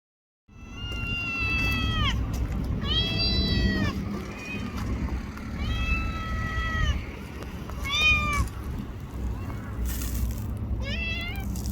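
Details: Small black-and-brown tortoiseshell stray cat in Japan, sitting beside a person and being petted, meows repeatedly: about five clear, drawn-out harmonic meows, some arching and falling, over steady low outdoor rumble and faint voices.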